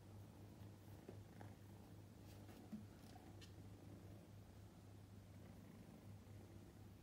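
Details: Continuous deep purring from Luca (Roo-kun), a young male prick-eared Scottish Fold, on his second day with his new family at home; the even, pulsing rumble runs throughout, with a faint tap near the middle.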